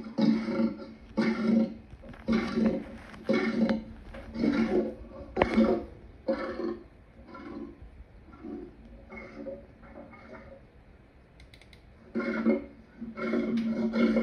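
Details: Lion vocalising in a run of deep, breathy grunts spaced about a second apart, easing off and quieter in the middle before strong grunting resumes; the sound has a close, roomy quality.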